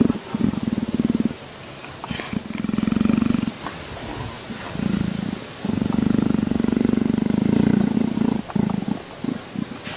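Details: Leopard purring in long rough pulsed bouts lasting one to three seconds, separated by short quiet gaps, with a low throbbing buzz throughout.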